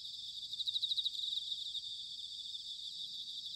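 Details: In autumn at Sanuki, Chiba, Japan, a bell cricket gives a clear, rapidly pulsed high trill for about a second, then the constant shimmering chorus of many insects carries on.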